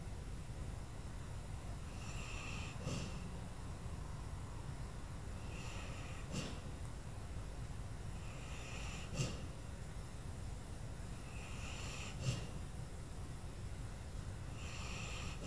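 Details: Lula, an old dog, sleeping at Christmas; soft breathing snores return about every three seconds, each a brief hiss with a sharper snort, over steady low room rumble.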